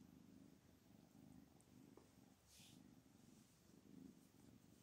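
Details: Domestic cat, a mother angry and no longer accepting her kittens, heard indoors as a low steady purr running through the whole stretch, with faint rustling and a brief click.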